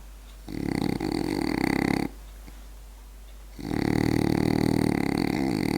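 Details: Berti, a French Bulldog, snores while asleep: two long rasping, buzzy snores separated by a quiet pause of about a second and a half, each breath rough and sustained indoors.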